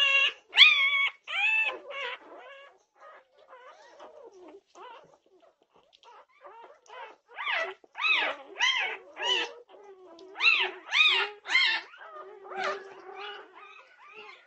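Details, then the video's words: At 2:30am on June 8, 2021, several Norwegian Buhund puppies call in a rapid, overlapping clamour. Short arched whines and yelps follow each other about twice a second, loud bursts alternating with softer stretches of quieter whimpering. "Puppy Pandemonium at 2:30am! Norwegian Buhund Puppies"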